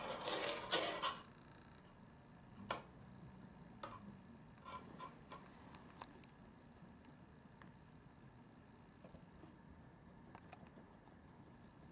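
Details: Quiet indoor room with soft rustling and a few sharp clicks and taps, likely a cat toy being played with, no animal voice heard.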